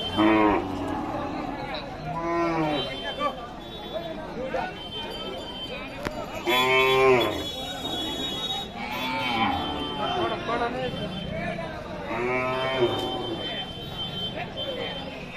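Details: Cattle at Jorshimuli Bazar, a livestock market in Kamrup district, Assam, India, moo over and over from several directions. The calls are drawn-out, rising and falling, and overlap with voices, market bustle and a steady high electronic whine.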